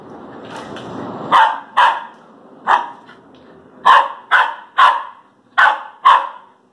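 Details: Airedale Terrier, kept with a Lakeland Terrier and both nearly one year old, barking in sharp, short repeated woofs, about nine barks in quick irregular succession, after a low background rumble that fades early.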